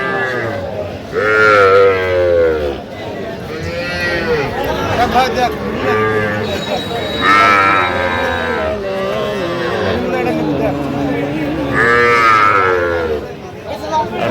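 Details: Cattle at a market in Kushtia where a farmer buys small Sahiwal bull and heifer calves, 8 October 2025; repeated loud harmonic moos roughly every five seconds, with crowd chatter and talking throughout.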